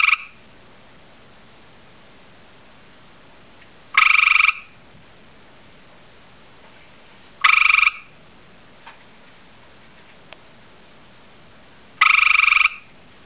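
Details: Gray tree frog male calling after seeing a female: three loud, rapid pulsed trills, each about half a second, spaced three to four seconds apart, with faint clicks between them in otherwise quiet surroundings.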